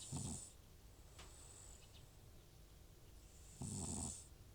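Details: Elderly FIV-positive rescue cat Butcher, prone to runny nose and sneezing, snoring loudly while asleep indoors: two rough, rumbling snores about three and a half seconds apart, each with a breathy hiss, and quiet breathing between.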